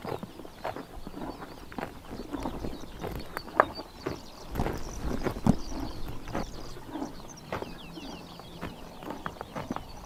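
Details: On a summer morning in Tuv province, Mongolia, horses munch grass with dense, repeated crunching and tearing bites, while small birds twitter faintly in the distance.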